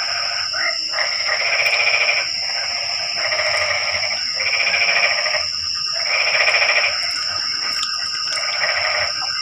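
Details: Rainy-night frog chorus breaking the night's silence. Harsh, rapidly pulsed croaks arrive in regular bursts about every two seconds, each lasting over a second. A constant thin, high-pitched drone continues in the background.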